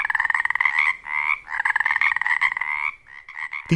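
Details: Male Pacific chorus frogs (Pacific tree frogs) in mating season call in a dense chorus of rapid, raspy two-part croaks to attract females, positioning near rocks or logs to amplify their song.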